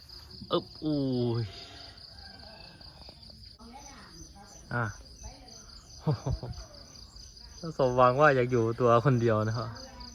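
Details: Pet cats kept at home, fighting each other: drawn-out, wavering, harmonic yowls and short sharp cries come in bursts, loudest near the end, over a steady high-pitched whine in the background.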